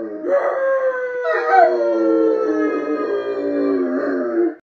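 Sustained, mournful howls from a Rottweiler rise and fall in pitch over several seconds. A woman howls along at the same time, so the two voices blend into overlapping tones.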